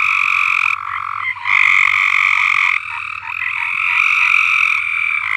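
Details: Chorus of frogs in a neglected above-ground swimming pool at a farm, many rapid pulsed trills layered into a loud unbroken din that swells and fades in steps.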